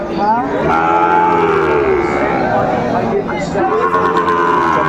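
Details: Sahiwal cattle lowing at a busy Tangail market, Bangladesh, 2 May 2024: one sustained, slightly falling moo followed by another, with loud background voices throughout.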